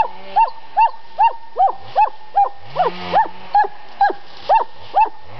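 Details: Dog kept by the family at a summer home in Estonia, giving a fast, steady run of short high-pitched barks, each rising then falling, about every 0.4 seconds for over five seconds, with a faint low hum behind.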